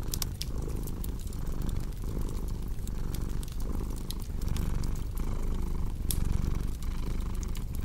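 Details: Domestic cat purring steadily, a deep low rumble swelling and easing in a regular cycle a little under once per second, with sharp crackles and pops from a fireplace scattered throughout.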